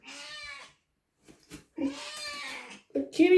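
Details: Domestic cat (Felis catus) named Shorty gives drawn-out, slightly nasal meows while a person talks over it, asking whether it is hungry.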